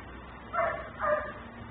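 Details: Dog left outside and barking nonstop, filmed by a neighbor's recording camera; two short, slightly tonal barks half a second apart against a low steady hum.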